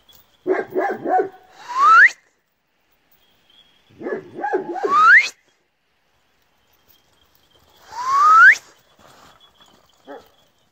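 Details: Kangal puppies giving three bursts of choppy, broken yelps, each ending in a high whine that climbs steeply. The bursts come about every three seconds against a quiet outdoor background.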